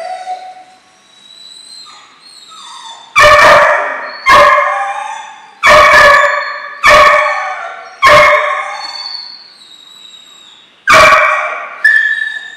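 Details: German Shorthaired Pointer puppies, two 12-week-old dogs in a training program that includes pointing and backing point. Six loud, harmonic, yelping barks come in uneven bursts roughly one to three seconds apart. Faint tonal sounds are heard between them.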